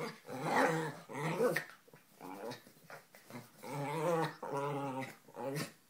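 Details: A Lhasa apso and an Italian greyhound playing a game together indoors, producing a run of rough, rumbling play growls and grumbles in uneven bursts, some with a harmonic, moaning quality, with brief quiet gaps.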